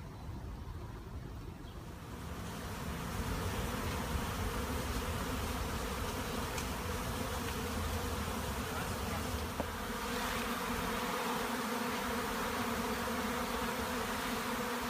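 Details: Western honey bee swarm at a monastery apiary gives a dense, steady hum of countless wings that swells and then holds.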